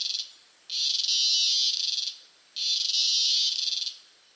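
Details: Cicada in Costa Rica, recorded up close: two sustained high buzzes with a fine rapid pulsing texture, each over a second long, starting abruptly and fading at the end, separated by a half-second gap.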